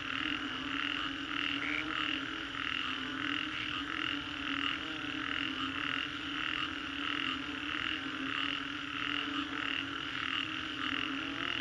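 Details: After a storm in the Green Corridor, Singapore, a frog chorus of repeated pulsed croaks roughly every second, with occasional brighter higher notes above the dense steady drone.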